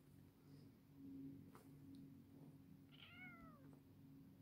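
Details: Domestic cat with one clear, drawn-out meow that starts high and slides downward, set against a constant low hum and faint room noise.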